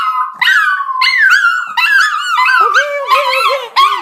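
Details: Pet dogs at home crying together in a drawn-out howling chorus, wavering high voices rising and falling in long overlapping cries with short breaks, one lower voice joining near the end; no other sounds.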